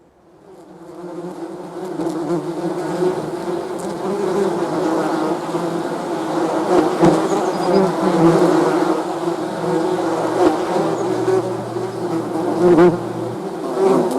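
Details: Bees buzzing: a dense, continuous drone of many overlapping wingbeats that fades in over the first seconds and swells louder, with a low steady hum beneath from about ten to thirteen seconds.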